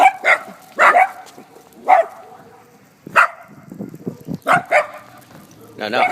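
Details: Leashed Dachshunds checking fences in a neighborhood where other dogs walk past. About seven sharp, short barks come at irregular intervals, sometimes in quick pairs, with quiet gaps between bursts.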